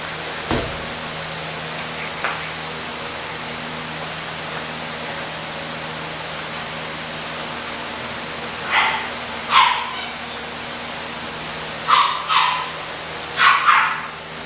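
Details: English bulldog puppies, offered for sale at Christmas, give about five short, high barks clustered in the second half, with a steady low hum and quiet stretches before them.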